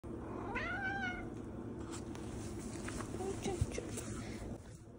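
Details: Male pet cat gives one short, clear meow near the start, rising then falling in pitch with a bright, layered tone, followed by soft indoor rustling and faint background noise.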